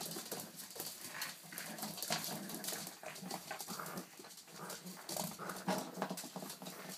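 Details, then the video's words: Young Boston Terriers mounting a joint play attack indoors on wabas; low grumbling growls and short whimpers repeat irregularly over constant scuffling and thumping noises. "Attack of the Baby Bostons"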